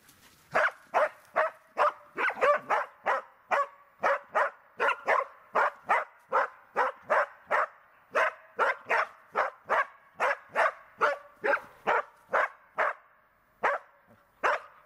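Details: Border Collie named Tara during search and rescue training, giving a long run of sharp, evenly paced barks, roughly two per second, with only brief pauses across the whole stretch.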